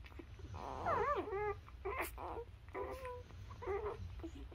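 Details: Newborn Labrador Retriever puppies nursing on their mother, giving short, soft whimpering squeaks that bend up and down in several brief bursts over a low background rumble.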